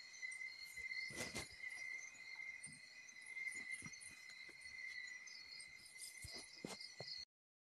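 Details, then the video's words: Crickets droning by a provincial bahay kubo, a constant high whine with scattered sharp clicks and tinkling clinks mixed in, ending abruptly. "KULIGLIG AT KULISAP"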